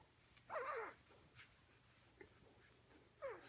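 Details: Two brief high whines from Bella, a mother dog with pups, one bending downward and a second at the end, separated by quiet with small clicks and rustles.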